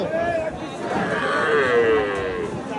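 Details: Native calf at a Bangladeshi cattle market: a loud drawn-out moo with a wavering tonal line that dips and rises over nearly three seconds, with crowd murmur behind.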